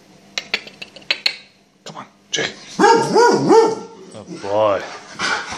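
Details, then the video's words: Annoyed Gordon Setter being called for walkies, answering with wavering, rising-and-falling whining moans after a few sharp sounds, while a man repeatedly calls the dog and urges it to come. "Jake the annoyed Gordon Setter"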